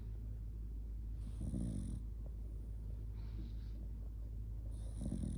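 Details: Shiba Inu sleeping cuddled up close, snoring heavily; two rough, throaty snore bursts about three and a half seconds apart over a steady low rumble.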